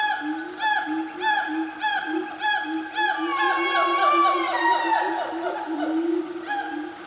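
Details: Siamang family in the Gunung Nuang forest of Selangor, Malaysia, calling at about 10 am on a cool, quiet morning. Dense overlapping hoots and whoops, with one long note sweeping up and then down near the middle.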